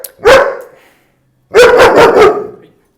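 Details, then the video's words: Young, scared German Shepherd giving fear-based barks at a trainer he sees as a threat during behaviour-modification training: a single sharp bark, a pause of over a second, then a quick burst of three harsh barks. "Unless he wouldn't be barking, it's stressful for him to bark. He actually thinks I'm a threat."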